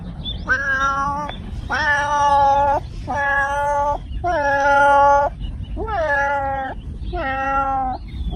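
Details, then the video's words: Domestic cat meowing: six drawn-out, steady-pitched meows about a second each, with rich harmonics, some ending in a falling slur, over a low background rumble. "Cats Meow 10 Minutes of Cats Making Meow Sounds"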